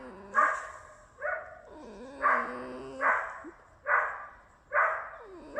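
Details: Tame female red fox at home giving harsh, squealing screams about once a second. Short wavering whines fill the gaps between them.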